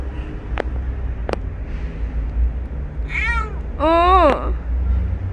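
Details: Rescued stray kitten Ppeuti: after two sharp clicks, two rising-falling meows come near the end, the second louder and longer, over a constant low rumble.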